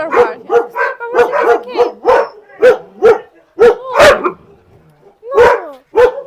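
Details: Max, a Siberian Husky, delivers clipped, ringing barks about every half second, one longer strained yowl around the middle, then a short quiet gap before two final barks.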